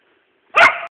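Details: A West Siberian Laika hunting, barking at a squirrel it has treed: one sharp, loud, bright single bark, abrupt and short, in silence.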